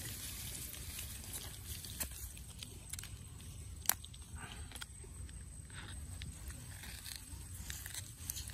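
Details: Otter named Titi eating a sea bass in the forest: soft, scattered crunching clicks of chewing with one sharp louder snap midway, over a low steady rumble of outdoor background noise.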